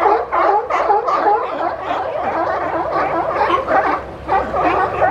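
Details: Sea lions at Monterey, California jostle for resting space, piled on each other; rough, gargling barks repeat about three times a second, several animals overlapping in a boisterous chorus.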